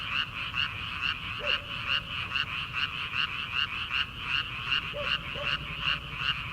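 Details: Frogs calling in rice paddies on an early-summer night before rice transplanting: rhythmic grating croaks pulse continuously, and a few lower, rising single calls stand out now and then.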